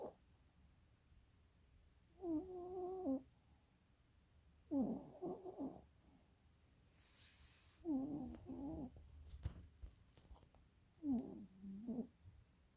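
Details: Snoring from a sleeping dog, eyes rolling: four raspy, humming snores about three seconds apart, each a short buzzy breath with a faint whine on top, in a quiet room.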